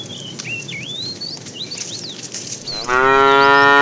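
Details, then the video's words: Cow from a tame herd being herded in the afternoon, calling the female: high chirping birds for nearly three seconds, then a sudden loud, steady, harmonic moo that holds to the end. "The funny sound of a fat cow calling the female"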